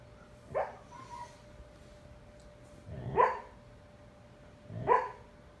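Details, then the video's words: Dreaming male foster husky barking in his sleep: three muffled, breathy woofs, each a quick puffed burst about two seconds apart, in a quiet indoor room with a faint steady hum. "Husky talking in his sleep"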